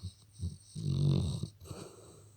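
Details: Sleeping Labrador snoring: two short low snorts, then a long rasping inhaled snore lasting about three-quarters of a second, with a steady high hiss in the room behind.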